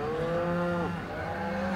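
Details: Eighteen-month-old Charolais heifer lowing: one drawn-out, tonal moo held steady, then its pitch drops sharply about halfway through before it settles into a lower, even tone.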